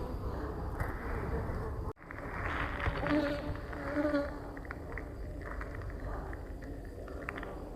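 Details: Honey bees in a full colony being split in late November while the keeper searches the frames for the queen; dense, low, steady buzzing hum fills the recording, with a brief dropout near two seconds and faint voices.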